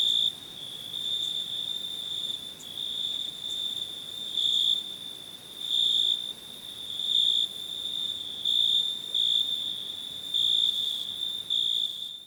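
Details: High, ringing cricket chirps over an unbroken trill, the louder pulses coming at uneven intervals of one to two seconds, the sound fading slightly toward the end.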